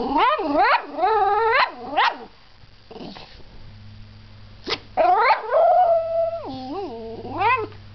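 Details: Dog uttering quick, rising yelping whines in a rapid series, a pause with a faint low hum, then more yips and a drawn-out wavering whine that steps down in pitch.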